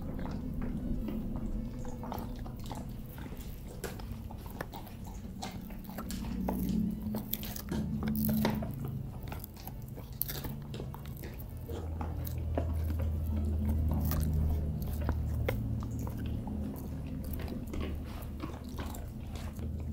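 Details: Dogs gnaw on dog chews, crunching and biting in a steady stream of wet clicks and cracks indoors, with upbeat background music playing throughout.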